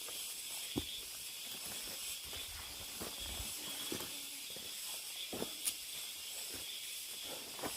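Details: Cicadas deep in a mountain forest, heard on a hike as a steady, high, hissing drone that never breaks, with footsteps crunching and thudding on the trail underneath.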